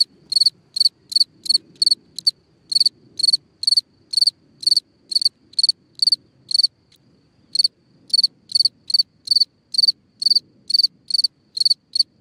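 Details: Cricket chirping at night from a hole in the ground, a long series of bright pulsed chirps roughly two per second with one brief gap, over faint low background noise.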